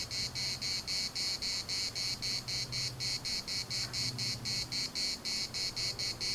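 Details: Chorus of cicadas in Larnaca's municipal park, Cyprus, pulsing steadily in fast high-pitched buzzy bursts roughly four times a second, over a soft low rumble in the background.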